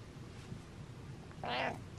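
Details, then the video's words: Butters, a pet cat, lets out a single brief meow late in the clip, bright and harmonic, against a quiet indoor background. "Cat Meows And Smiles"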